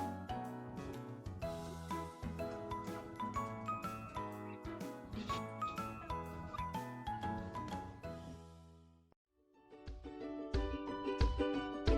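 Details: Bright, tinkling instrumental music plays throughout, with a brief pause near the end and no animal voice.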